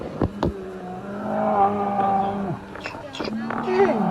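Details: Asian black bear (Ursus thibetanus) giving a drawn-out, low droning moan with a steady pitch and stacked overtones, broken by sharp clicks and knocks, then a shorter rising tone near the end.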